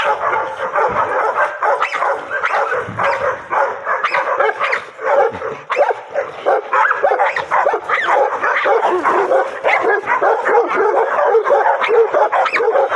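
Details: A pocket American Bully being introduced to a bite sleeve during play with handlers gives a steady stream of excited, high yipping barks and whines, densely packed and continuous.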